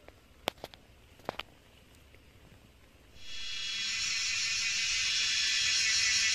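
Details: Cicadas singing in the Himalayas of Nepal during wild mushroom foraging: after three quiet seconds with a few sharp clicks, a loud, steady, high-pitched buzzing drone switches on abruptly and holds to the end.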